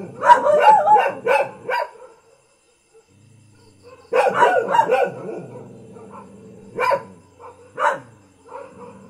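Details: Common house dog gives a quick run of loud barks, falls silent for about two seconds, then barks again in a dense cluster followed by two isolated single barks.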